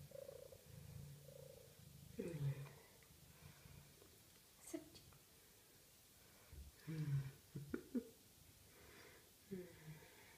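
A Maine Coon cat purrs with a low, steady rumble, broken by short voiced sounds.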